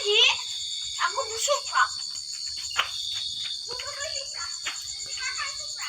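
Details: Cricket giving a steady, unbroken high-pitched trill that runs through the whole stretch, with children talking and calling out nearby.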